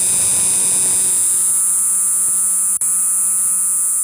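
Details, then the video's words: Cricket at night, calling to attract females: a steady high-pitched continuous trill with a faint low hum beneath and one brief click near the end. "रात को शोर करने वाला कीड़ा | Cricket Sound | झींगुर की आवाज | Jhingur Insects Sound"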